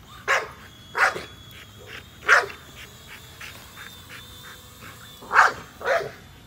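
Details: American Bully named Nola barking while she chases a drone: five sharp, loud barks at uneven intervals over about six seconds, with the drone's steady high whine and faint ticking underneath throughout.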